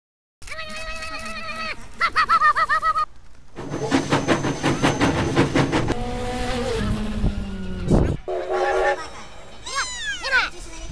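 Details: Siberian Husky in a compilation of talking and sled-racing huskies: short bursts of steady, harmonic howl-like vocalizing broken by abrupt cuts, with noisy stretches and a few rising-then-falling yelps near the end.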